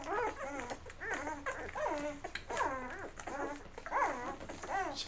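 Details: Newborn Labrador Retriever puppies of Mocha's litter, eleven days old, feeding and then crawling off to sleep indoors; high, wavering whines that rise and fall, repeated about every second in a steady string.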